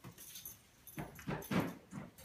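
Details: German Shepherd during a training session, giving a few short, rough vocal bursts about half a second apart, with quieter rustling between them.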